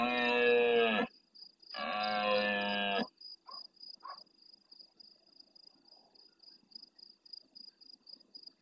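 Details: Big red deer stag in the Doñana National Park marshland, Andalusia, Spain, bellowing close by at the start of the night in reply to farther stags: two deep guttural roars of about a second each, then faint sounds under continuous high insect chirping.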